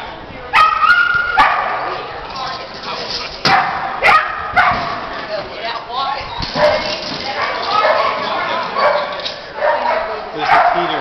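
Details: Border Collie named Fig at an AKC Agility Excellent Standard trial in Elkton, Florida, January 31, 2009; sharp barks burst out near the start and again around the middle, while people talk and offer praise throughout.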